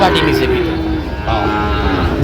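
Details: Sahiwal bull calf at a Sylhet cattle market, Bangladesh, September 2025: a short lowing moo opens the moment, followed by a second brief call, with male voices chatting in the background.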